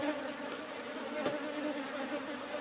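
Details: Colony of Asian honey bees (Apis cerana) in a tightly closed old-style hive box during honey harvesting; a continuous droning hum from the swarm, even in pitch, with a brief soft knock midway.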